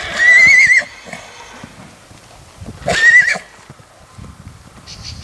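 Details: Purebred black Lusitano filly, six months old, from a stud farm, gives two shrill whinnies about two and a half seconds apart. Each lasts under a second and has a wavering, trembling pitch, with quiet rustling and hoof noises in between.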